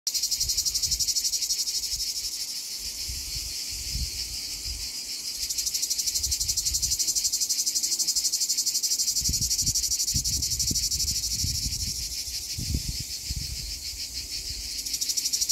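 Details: A plebeian cicada (Lyristes plebejus) sings a loud, continuous, harsh buzzing drone with a fast pulsing rhythm at Donzère, Drôme, France, on 26 July 2021.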